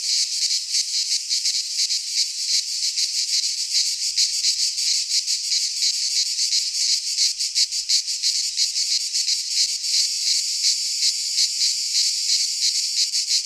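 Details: High, sizzling buzz of cicadas singing in midsummer among pines in Greece, continuous and evenly loud, rippling with rapid pulses throughout.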